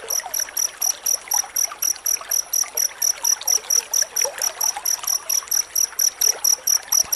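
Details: Dense cricket chirping, used as a tutor sound for training white-rumped shamas to sing: high, sharp pulses repeated about three times a second in a steady rhythm over a constant trickling, rushing water background.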